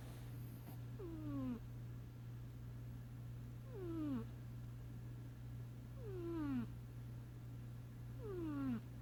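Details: A sleeping domestic cat snoring: a soft, whistled, downward-sliding tone with each breath, repeated roughly every two seconds over a steady low indoor hum.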